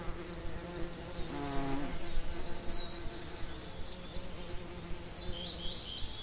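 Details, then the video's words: Bee buzzing over summer lavender, a low hum surging briefly in the middle, while short high bird chirps and twitters repeat through the scene. "Lavender Summer Ambience & Bee Sound Effects"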